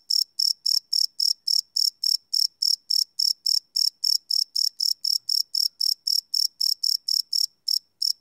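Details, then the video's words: Cricket chirps after dark, live recording on a Sony PCM D100 field recorder, made of quick bright high pulses near four per second with one short gap near the end. "Cricket Chirp Sound - Cricket Sounds at Night"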